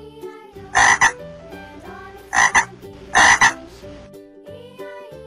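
A frog gives three harsh, rasping croaks, spaced about a second apart, over soft background music.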